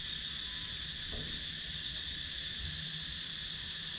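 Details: Wooded Thai countryside at Sakon Nakhon, where cicadas keep up a continuous piercing, sizzling whine, recorded by a GoPro Hero 9, with light low-frequency ambient murmur beneath and one faint tick just after the first second.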